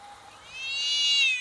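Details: Domestic cats in a slow-motion fight: a short faint tone swelling into a loud, high, bright screech that arcs upward and holds.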